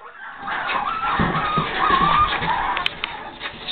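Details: Boston Terrier puppies, five and a half weeks old, penned in and screaming to be let out; shrill wavering harmonic squeals overlapping for several seconds while a person talks nearby.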